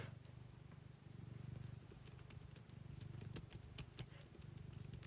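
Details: A pet cat purring loudly indoors beside someone typing: a steady low rumbling purr, pulsing rapidly and continuously throughout, with sharp keyboard clicks scattered over it.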